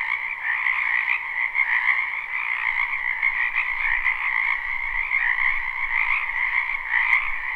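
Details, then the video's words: Springtime frog chorus from a wetland behind a house, recorded live. Countless overlapping croaks make a steady, buzzing two-tone hum with a faint low rumble underneath in places. "Ambient Noise for Sleep Frogs Black Screen"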